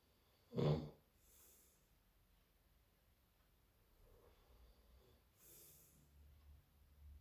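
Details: A Labrador named Toni snoring in its sleep alongside a person, also snoring, on Halloween: one short, loud snort near the start, then soft, hissing breaths every few seconds in a quiet room.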